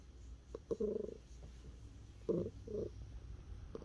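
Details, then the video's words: Neutered male domestic cat, born 18 September 2017, calling when touched: two short, mid-pitched chirping trills about a second and a half apart, over a low continuous rumbling purr in a quiet room. "만지면 소리나는 고양이"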